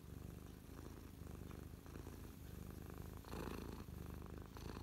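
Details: Domestic cat purring close up while resting on its owner's lap, content after playing with feathers; steady low rumbling purr running continuously with rhythmic pulses, slight rustle near the fourth second.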